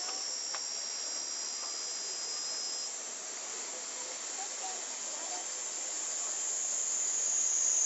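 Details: Cicadas in a Japanese summer, said to be over 120 dB, recorded on a Panasonic Lumix compact camera: a dense, unbroken hissing drone fills the upper range, holding steady throughout and swelling slightly louder toward the end.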